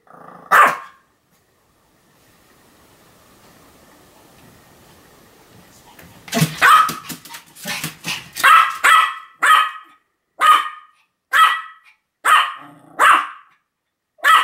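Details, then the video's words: Pomeranian Sam in a bout of continuous barking, 2015: one lone bark, a few seconds of low hum, then a burst of rapid yaps that settles into steady, high, evenly spaced barks. "犬の鳴き声 ポメラニアン サムの連続吠え"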